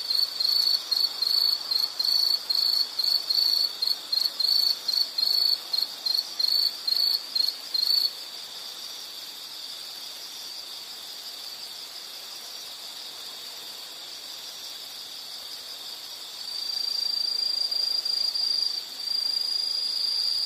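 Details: Quick, regular high chirps from an insect, about three per second, fill the first eight seconds, then a quiet hiss with a faint hum; a smooth sustained high trill returns near the end.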